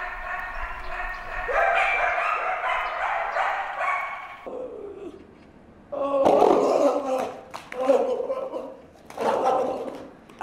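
A zoo animal gives high, wavering, tonal cries, then a series of harsh, barking bursts.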